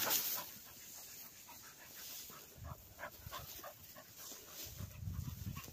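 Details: Cocker spaniels retrieving along a river bank during gundog training, panting in quick breathy bursts, several each second, over a low outdoor rumble that swells near the end.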